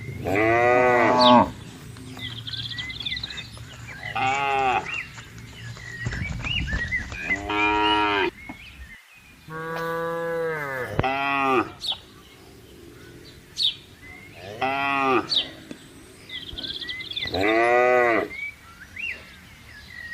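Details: Herd of cows and buffaloes grazing freely on wide green pasture; roughly seven separate moos spread evenly across the recording, each a harmonic bellow about a second long, with occasional bird chirps between calls.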